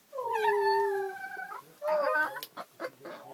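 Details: Dog encountered on a train, giving a long, smooth, slightly falling howl for about a second and a half while being urged on, followed by a person talking and short bursts of voice.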